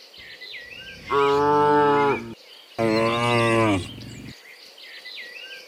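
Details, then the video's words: Cattle, dozens of them, walking back from the fields to the pen in the afternoon; two long, loud, evenly pitched moos in close succession, birds calling softly behind. "Dozens of Moo Cows Walking Home from the Fields to the Pen in the Afternoon, Sound of Cows"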